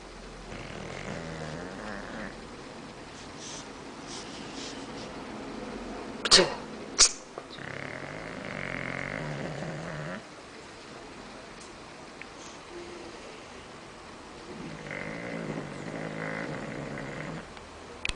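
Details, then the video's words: Bulldog snoring in a living room: long droning breaths with a nasal buzzing tone, each lasting two to three seconds with quiet pauses between, plus two sharp clicks midway. "Bulldog roncando Bulldog Snoring"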